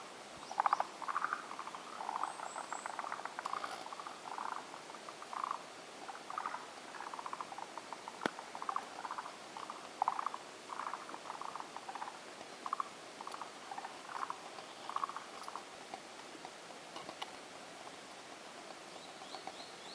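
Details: Forest green tree frogs calling around a swamp in a jukai forest in Japan: many overlapping, rapid, rattling, chuckling calls repeated without pause, forming a dense chorus over steady background hiss, with faint high chirps now and then.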